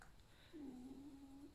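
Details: Male pet fox kept at home, lying down indoors after a lively night of play, not unwell, gives a quiet, drawn-out creaking whine: one steady, low, slightly wavering tone lasting about a second in a small, still room.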